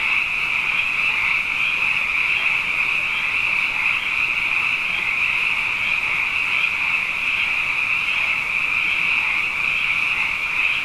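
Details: Frogs, plentiful after two successive wet years, fill the night with an unbroken chorus of high, vibrating trills, steady and dense, with subtle pulsing but no breaks or other clear sounds.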